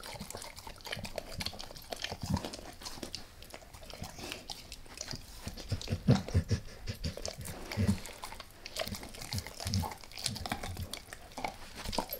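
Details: Max the dog gnawing a beef rib, first lightly and then all in: irregular wet chewing and licking with soft low thuds and scattered sharp clicks, louder bursts near six and eight seconds.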